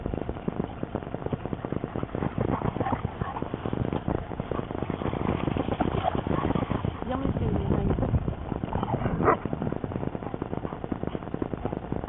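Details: Dogs playing outdoors at Fountain Lake, several short barks and yips rising out of steady broadband rushing noise, with people talking nearby and one louder bark near the end.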